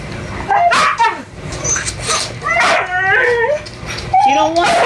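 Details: A young male Siberian Husky whines and yodels in long, wavering, rising-and-falling cries, eager to mate with a female in heat who is refusing him.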